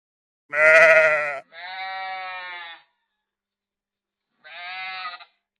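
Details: Sheep from a flock out in the field bleating: a loud, quavering bleat, then a longer steady nasal one, and after a pause a third shorter bleat, with silence between.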